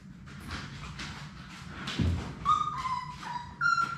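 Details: Labrador Retriever puppies, one of six in Sadie's litter, at play in their puppy play room. Soft shuffling and scratching give way midway to three clear, steady, high-pitched whines that step down and then up, over a constant low hum.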